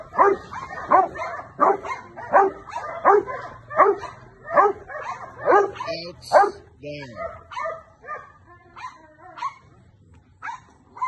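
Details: Fully trained adult male Rottweiler barking in a steady series: about ten loud, punchy barks spaced roughly 0.7 seconds apart over six seconds, followed by softer, broken sounds and quieter barks toward the end.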